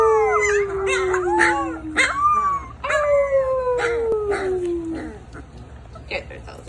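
Rottweiler puppies howl together in long, wavering, slowly falling notes that overlap.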